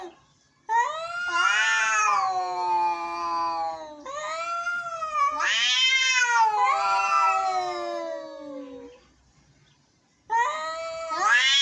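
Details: Angry cats meowing: overlapping, drawn-out howling yowls, rising and falling with strained harsh tones, nearly continuous for nine seconds, then a short gap and a fresh rising wail.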